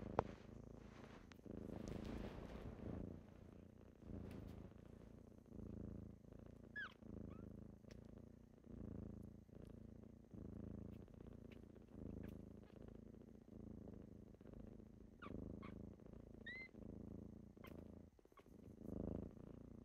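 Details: Kittens purring in the morning while waking their owner; pulsing low purr in breath cycles, with rustling and a few faint high chirps or squeaks.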